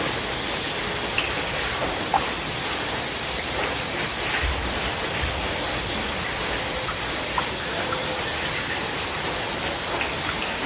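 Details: Rain and crickets at night-style relaxation ambience: an unbroken, piercing high trill pulsing roughly four times per second sits above a dense wash of rainfall, with a brief low thump midway.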